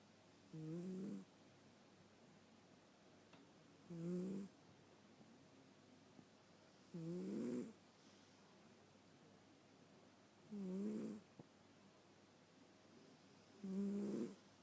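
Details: A sleeping domestic cat snoring indoors: five soft rasping snores, each about half a second long, coming regularly every three seconds, with near silence between them.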